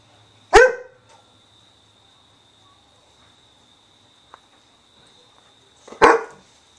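A Weimaraner gives two loud, sharp barks about five seconds apart, demanding attention.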